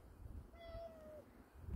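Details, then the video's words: Soft, steady meow from a pet cat befriended by its owner: a single even-pitched tonal call of about two-thirds of a second, faint against low background rumble, while a person urges it to come down. "고양이 파수와 많이 친해졌습니다 야옹~😻 하네요~"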